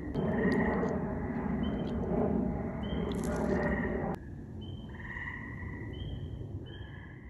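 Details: Frogs calling at night under a full moon: a dense, noisy chorus of overlapping tonal notes and drawn-out whistled tones, thinning abruptly partway through to sparser, clearer repeated calls over a steady low background hum.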